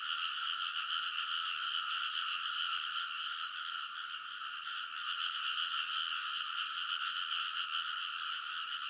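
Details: Many frogs calling together along rice field ridges late at night in early summer, Kōnosu, Saitama Prefecture, Japan; continuous massed croaking with fast pulsing overlap and even loudness throughout, recorded with a TASCAM Portacapture X8.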